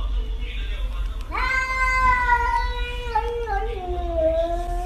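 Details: Domestic cat at home giving one long drawn-out meow that starts abruptly, holds a steady tone, then dips and wavers lower toward the end; low background hum throughout.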